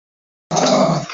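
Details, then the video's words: A female Miniature Schnauzer, very excited, gives a single harsh, gruff bark after a moment of silence. "Miniature schnauzer funny dog bark"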